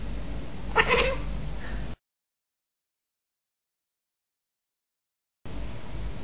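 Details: Pet female Bengal cat in a garden calling at a bird walking across the bottom of the garden, one brief harsh chirping cry with a short fainter follow-up, over a steady low outdoor rumble.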